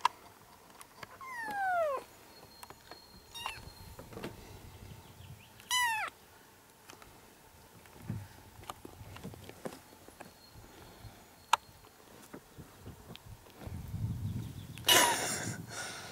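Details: Seven kittens, four and five weeks old, from two sibling mother cats living in a yard, meowing together on June 6, 2017: a few high, falling, harmonic meows spaced out over quiet rustling, then a loud scuffing burst near the end.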